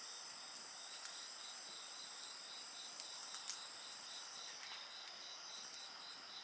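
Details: Dense chirring of many insects, high and steady with a fast pulsed layer, heard alongside a fire whose crackles and small bursts of snapping come through repeatedly.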